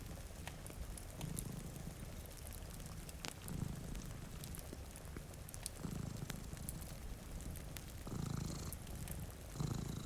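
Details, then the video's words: A low, continuous purr from cats asleep by a rain-streaked window rises and falls in breathing cycles, with crackling fire pops and soft rain in the background. "Purring Cat"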